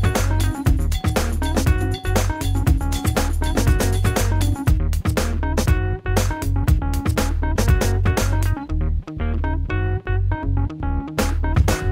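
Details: Instrumental music with piano, guitar and a steady low bass fills the whole recording; no animal is heard.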